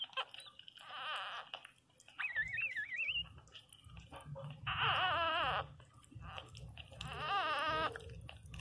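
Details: Newborn Pinscher puppy crying very loudly indoors: separate bursts of high, wavering whines that rise and fall in pitch, coming every couple of seconds with short quiet gaps and a low room hum.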